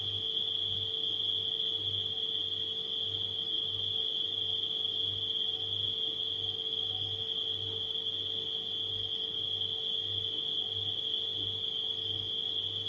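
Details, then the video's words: Crickets at night keep up a continuous shrill trill at one pitch throughout, while a humming refrigerator throbs softly underneath in slow, repeating low pulses. "Crickets & Refrigerator Humming Sound"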